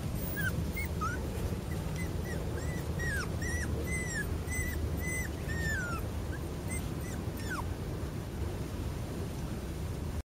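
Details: Male black-and-white Border Collie puppy, 27 days old, in Hyogo, Japan, on April 30, giving a steady series of thin, high, downward-sliding whimpers and squeaks, several per second at first, then sparser, over a constant low rumbling background.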